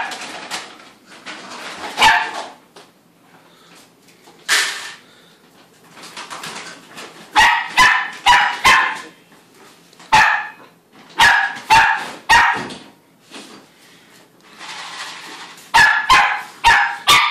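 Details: Lakota, a female AKC-registered Shetland Sheepdog puppy nearly five months old, barking at feeding time indoors; sharp high barks come singly and in quick bursts of three or four, with short quiet gaps between.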